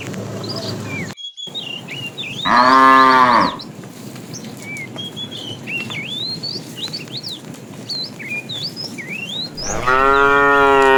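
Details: Tame cows in a herd wandering far in search of food: two loud harmonic moos, one about a second long and another at the end, with many short rising bird chirps in between and a brief cut near the start.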